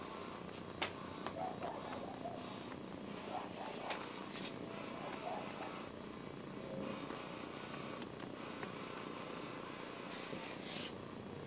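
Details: A domestic cat's continuous, quiet purr rumbles beneath background hiss, broken by occasional sharp clicks and brief rustling noises.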